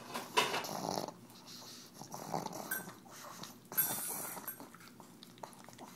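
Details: Pug named Tumble eating EZ Cheeze from a KONG toy, making awful noises: short loud snorts and grunting breaths separated by quieter wet licking in a small room.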